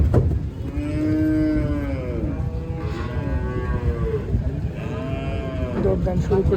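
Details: Cattle of various breeds being unloaded at the Tuesday animal market in Arankola: several long, deep moos with rich harmonics, some bending downward, following one after another over steady crowd and vehicle noise.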